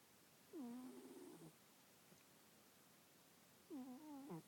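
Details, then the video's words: A congested cat snores in its sleep: two nasal, whistly breaths about three seconds apart, each a roughly one-second harmonic tone that drops, holds steady and then wavers, with quiet background. "Sleepy kitty, snoring kitty"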